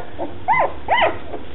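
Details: Two-week-old red and black standard poodle puppies give two clear arched whining squeaks in quick succession, each rising then dropping, with a faint earlier peep and a low background hum.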